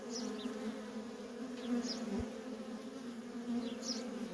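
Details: Worker honey bees in nonstop traffic at a feral colony, a steady droning hum with a low, even pitch and a second band above it, joined by a few faint, high, brief chirps.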